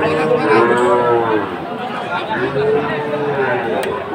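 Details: Sahiwal cattle at a Chattogram market in Bangladesh, 7 September 2024: a long, slightly falling moo, then a second, softer drawn-out low, against a dense background of crowd noise.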